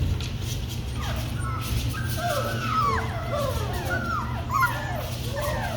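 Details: Several young puppies whimper and whine together, giving high, thin, wavering cries that slide down and overlap continuously, with a soft human voice nearby.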